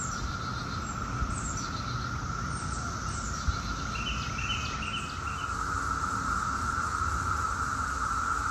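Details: Brood X periodical cicadas, 17-year cicadas, in Chantilly, Virginia, near Washington, D.C., in 2021: a dense daytime chorus forming a steady, unbroken droning hum, with faint higher chirps over a constant rumble.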